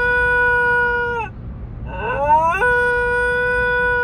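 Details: A pet puppy howls as neutering anaesthesia wears off: a held tone drops away, a wavering upward-sliding section follows, then a steady sustained note returns, low background hum beneath.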